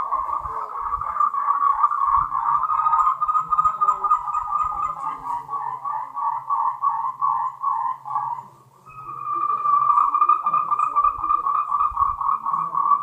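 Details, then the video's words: Mating calls of Moltrecht's green tree frog, endemic to Taiwan: many rapid, rattling pulses merge into a steady mid-pitched chorus. A brief lull comes near the eighth second before the calling resumes at full strength. "Tree frogs' mating call"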